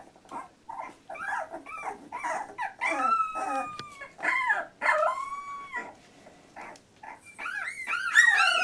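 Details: Labrador Retriever puppy aged 14 days, one of a litter: drawn-out wavering whines mixed with short squeaks, a few sustained level cries mid-sequence and a shrill, rising cluster of yelps at the close.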